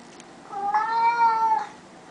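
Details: House cat indoors that says only one word lets out a single steady, drawn-out meow lasting about a second, harmonic and even in pitch, against a quiet room background.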